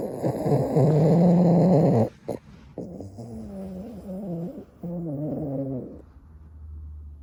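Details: Sleeping Boston terrier snoring: one loud, deep, rattling snore, then several softer, gurgling snores with a wavering tone and short breaks between them.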